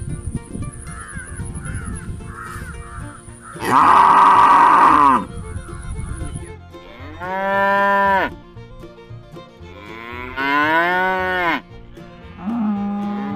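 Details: Dairy cow. Several loud moos from a dairy cow, each a sustained, harmonic lowing lasting one to two seconds, some rising and falling in pitch. Soft music plays underneath.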